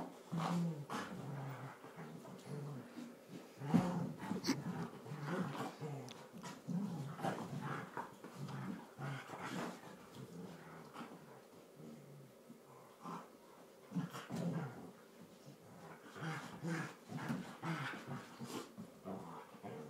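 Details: Two Border Collies, a tri colour and a blue merle, play-fighting in a lounge as they do daily: low rumbling growls in bursts, snorts and huffs between scuffles, with a sharper thump near the start.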